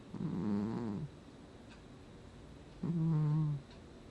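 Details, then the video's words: Domestic cat snoring while asleep indoors, August 2020: two low, rough, buzzing snores, each under a second long and about three seconds apart, with quiet breathing between. "Кот храпит во сне"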